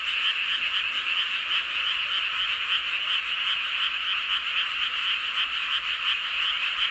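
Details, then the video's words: Frog chorus beneath the full moon at Seowon-myeon, Hoengseong, Gangwon Province, Korea: countless frogs croak at once, a loud, unbroken, rhythmically throbbing mass of rattling calls without gaps, and nothing else stands out. "보름달 아래 개구리들의 합창"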